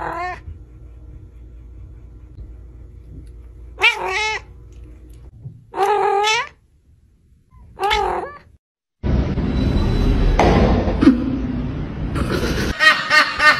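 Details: Domestic cats from a compilation of short funny clips: several separate harmonic meows, some rising then falling, around four, six and eight seconds, followed by a loud, noisy stretch of mixed sound with higher squeaky calls at the end.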